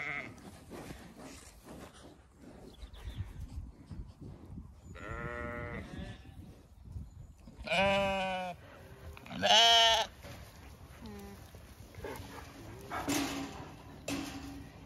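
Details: Zwartbles ewes in County Kilkenny, Ireland, calling to the flock across two fields at evening feed, sending sheep galloping in from a distance; scattered bleats of varying pitch, two louder wavering calls near the end, amid rustling field noise.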